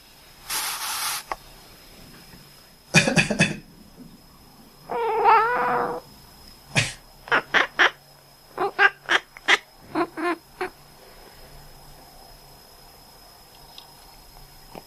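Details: A domestic cat makes duck-like quacks when its owner coughs: several coughs, a drawn-out meowing cry, then a run of about eight brief, sharp quacking chirps, fading to quiet indoors.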